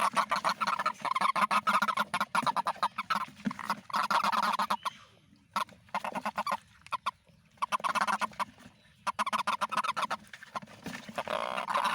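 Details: Several toads in the rainy season keep up a near-constant chorus of fast, honking pulses. Calling thins briefly in the middle, then builds again to a full, overlapping din.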